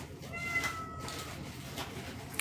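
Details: Indoor domestic cat, female and believed to be in heat, meowing loudly and repeatedly during a live broadcast; a faint, thin, drawn-out meow sits over a quiet room hum.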